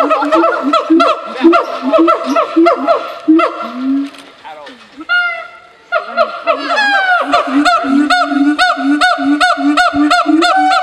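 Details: Siamang at a zoo giving loud, rapid, honking barks repeated nearly twice a second in a steady rhythm, broken midway by a brief pause and a few rising, swooping whoops before the pulsing barks resume.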